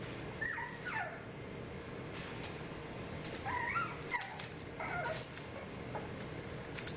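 Cocker spaniel puppies give short, high whines and yips at play.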